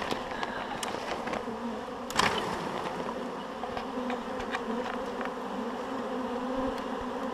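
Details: Honeybees from a swarm shaken into a hive; a thick, even buzzing drone throughout, with one loud thump about two seconds in.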